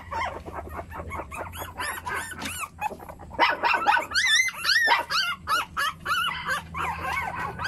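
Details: High yips and rising-falling whines from a group of puppies, short sharp barks mixed with longer arched cries, growing louder and more spaced in the second half.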